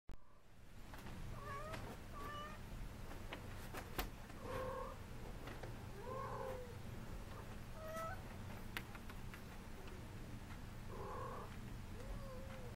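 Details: Domestic Shorthair cat up for adoption, calling indoors over a steady low hum; several short rising-falling meows spaced a few seconds apart, plus faint clicks and knocks.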